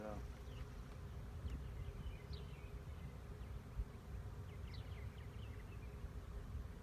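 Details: Honey bee swarm recorded in 2019 while a beekeeper searches for queens: a dense, steady low droning hum fills the background, with faint scattered higher chirps and a man's voice nearby.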